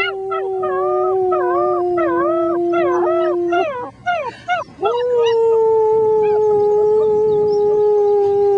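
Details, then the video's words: Six-week-old German Shepherd puppies howling together with a human, "singing the blues": rising-and-falling wavering yelps stacked over a long steady held tone, then a brief break and a renewed sustained howl. "German Shepherd puppies sing the blues"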